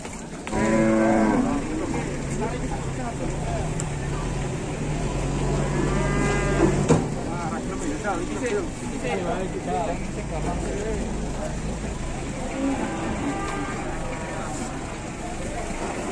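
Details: Giant cattle being unloaded, with Indonesian livestock farmers: a loud, harmonic moo bursts out at the start, then a long, low droning bellow runs for several seconds, amid crowd chatter and vehicle noise.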